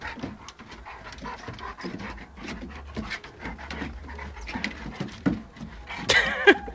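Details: Dogs playing indoors, a big dog and a puppy together, with rapid rhythmic panting at roughly three breaths per second, scuffling sounds throughout and a louder burst of noise near the end.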